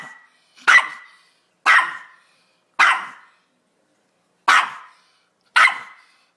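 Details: Chihuahua giving six short, sharp, high yaps, roughly one per second, separated by silent gaps and fading quickly after each bark.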